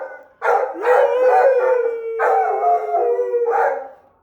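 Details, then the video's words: Australian Shepherd howling at a passing fire truck carrying the Easter Bunny: sustained wavering howls with a steady tone around the middle, broken by short yelping bursts. "Sweet Lou howling at the Easter Bunny going by in the fire truck."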